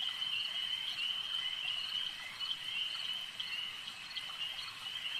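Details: Lakeside frog chorus of many overlapping high, rattling pulses forming a continuous shimmering drone, slightly uneven in rhythm, with brief louder bursts breaking through.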